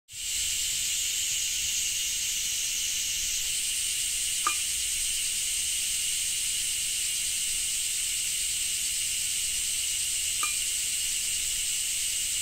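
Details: Cicadas in Japan, recorded in rain: a steady, hissing drone in two high bands, with one band rising in pitch about a third of the way through and two faint clicks.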